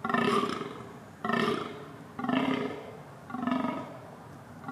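A deer gives four harsh, throaty roars, each about a second long and repeated steadily.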